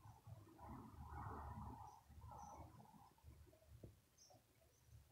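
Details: Domestic cat enjoying caresses on its head, giving a continuous low purr under soft rustling from the stroking hand, with brief faint bird chirps overhead.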